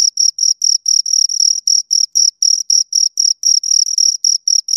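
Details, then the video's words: Two crickets chirping steadily: high, shrill pulsed chirps with an overtone band above, repeated about four times a second in an even rhythm, with no other sounds in a silent background. "Two Crickets Chirp Sounds for Two Hours Right on Your Ears"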